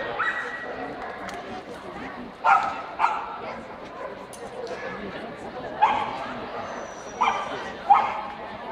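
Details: Swedish Vallhund best-male judging at a specialty show in Strängnäs, Sweden, on 15 March 2015: about six abrupt single and paired barks scattered across the recording, separated by stretches of talking and hall background noise.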